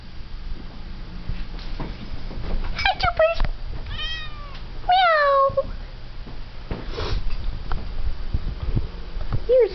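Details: Jupiter, a pet cat, in an old home recording, gives several short meows that fall in pitch, clustered near the middle with one more at the very end, while a person chats and laughs softly throughout.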